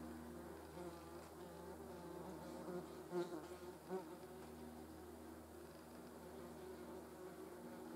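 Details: Insect buzz as a hornet cleans itself among yellow jackets, a continuous low harmonic drone with a brief wavering swell a little before midway, otherwise steady and quiet.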